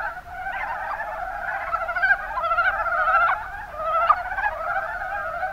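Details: Mountain brown frogs, Rana ornativentris, in the Kuma Basin of Kumamoto, Japan: a dense, unbroken chorus of overlapping low, rattling croaks, with a few louder calls rising out of the mass around the middle.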